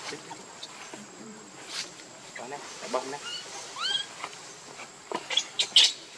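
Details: Young monkey Leo wails for its mother's milk: a run of short descending squeaks followed by a couple of clear, high, upward-arching cries, then sharp noisy bursts, with a thin steady tone throughout.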